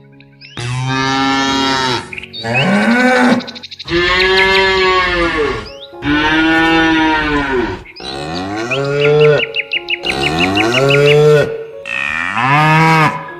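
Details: Cows in a pasture out in nature give a run of long, deep moos, each swelling and fading over a second or two.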